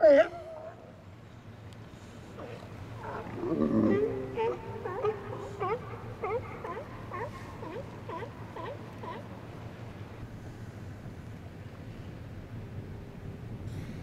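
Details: Resident Steller sea lions relax and chat among themselves in an outer harbour on a sunny winter day in January 2012. A loud opening bark gives way to a deep growl, then a series of short, wavering, moaning calls over a low background rumble.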